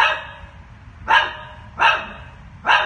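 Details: Terrified one-year-old female chihuahua trapped underground in a manhole in woods near Kansas City, Missouri, on a Sunday afternoon, barking sharply and repeatedly, about one high yelping bark every 0.7 seconds, with faint background rumble.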